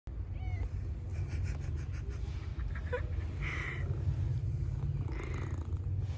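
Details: Stray street cat purring as it comes over wanting to be petted and caressed, while a second cat looks on; a steady low rumbling purr fills the clip, with a few brief higher faint sounds over it.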